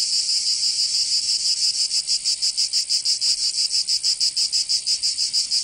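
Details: Summer cicada song from Provence in the south of France, a harsh sizzling buzz throbbing in quick regular pulses, roughly three per second, continuous throughout.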